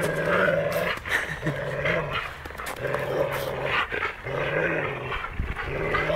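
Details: In Vilnius, Labrador Bytas tries to take a stick from his old friend Maksas; deep, sustained growls come in repeated rumbling phrases roughly every second, with snorting breaths between them.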